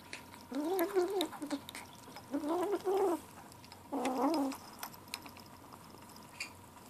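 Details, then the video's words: Gray kitten Ashe, seven weeks old, grumbling as he eats: three warbling, gargly bursts of stuttered mews, each under a second long, with small clicks and a constant background hum indoors. "Kitten lunchtime talk"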